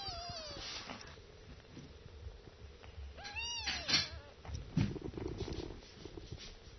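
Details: Kittens drinking milk from their mother: a thin descending mew opens, then after a pause a longer, arched kitten cry rises and falls, with rustling and bumping sounds between calls.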